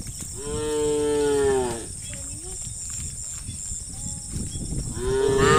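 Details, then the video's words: Dozens of tame farm cattle walking in line toward their pen on a calm evening: one loud, long moo with a drawn-out, slightly falling tone, then quieter moos from other cows. A second loud moo begins at the end over a steady high hiss. "Puluhan Sapi Lembu Jinak Berjalan Beriringan Menuju Kandang Peternakan Hewan - suara sapi moo"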